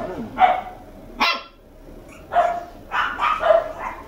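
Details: Toy Poodle puppy, red male aged two months, at a Tokyo house, letting out a few high, clipped barks spaced irregularly over four seconds, a soft voice and room noise in between.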